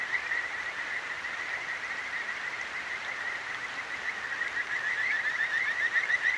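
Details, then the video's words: A Kajika frog calls at night beside a clear mountain stream in Akikawa Valley, Tokyo, recorded with a Zoom H6. Quick, rippling trills hold a steady mid-high pitch over the constant hiss of flowing water. "清流の歌姫 カジカガエルと川のせせらぎ"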